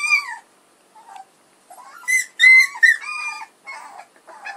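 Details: Young puppies from Edhel and Berry give drawn-out, piping whines. A clear opening cry falls away into silence, then several sharper, steady-pitched squeals cluster together, followed by softer, wobbling whimpers.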